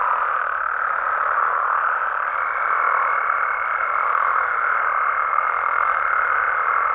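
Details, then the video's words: Mexican frogs at night, a thick continuous chorus of overlapping croaks, joined after about two seconds by a sustained pure high tone that runs unbroken to the end. "Mexican Frogs & Toads Sounds"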